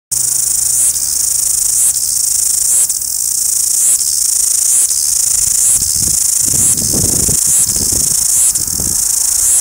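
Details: Loud cicada chorus in Wellington, New Zealand: a dense, unbroken high-pitched buzzing drone with brief dips roughly every second, plus some low thumping noise near the end.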